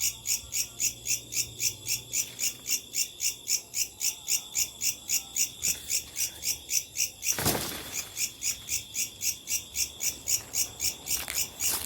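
A locust's dry, buzzy pulses repeat steadily, almost four times a second, through the night.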